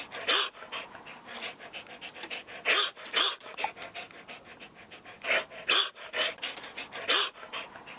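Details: Devocalized show dog giving hoarse, breathy barks, airy bursts without a full voiced tone, coming in irregular groups of two or three, with huffing pants between them.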